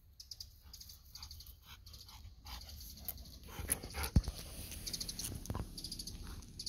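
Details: Golden Retriever, a pet named Kohaku, outdoors near mandarin and persimmon trees, approaching to beg for a freshly picked mandarin; quick rhythmic breathy panting bursts, then rustling, clicks and footstep-like thuds over low rumble.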